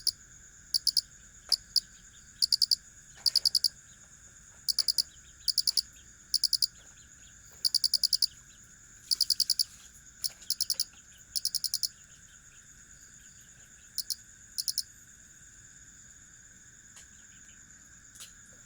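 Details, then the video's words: Cricket repeating bright, high-pitched chirps in quick clusters of pulses, every second or so, with longer gaps later on, above a constant thin whine and soft low background noise. "Suara asli jangkrik"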